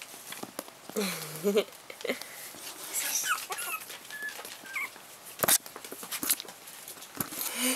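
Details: Four-week-old Chihuahua puppies, 7/8 chihuahua and 1/8 pug, playing with their mother: short whiny squeaks and a sliding whimper, with scattered clicks and rustles and a person speaking briefly.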